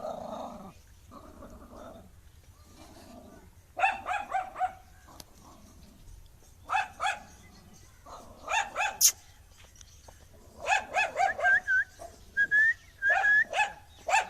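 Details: Angry dog opens with a low growl, then gives bursts of sharp, harsh barks in quick clusters, several in rapid succession. Brief high whistled notes sound near the end.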